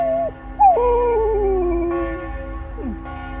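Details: Flat-coated retriever dog howling at church bells, a short howl ending, then a rising yelp leading into a long, gradually falling howl, and a brief downward slide near the end, with steady bell tones ringing behind.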